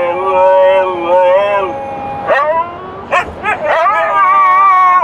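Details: Dogs singing in a car during a drive: long wavering harmonic howls that slide and bend, broken by a few short yips and abrupt rising barks near the middle before the sustained howling resumes.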